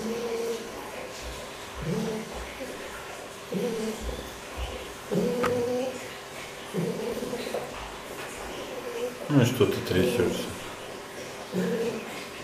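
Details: Fox kept at an animal quarantine centre, uttering repeated low tonal whines roughly every one to one and a half seconds, with a harsher, noisier burst around nine to ten seconds, against a steady indoor background.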